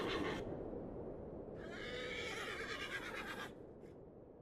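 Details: Mongolian horse, recorded in Erdenesant district of Töv Province, Mongolia. A noisy burst at the start gives way to a long, vibrating whinny lasting about two seconds, with stacked tremulous harmonics. A faint short sound trails afterward over low background noise.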